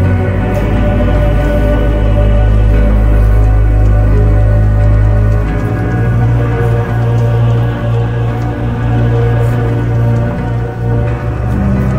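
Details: Dark ambient music with heavy droning low tones and a steady pulse fills the whole stretch.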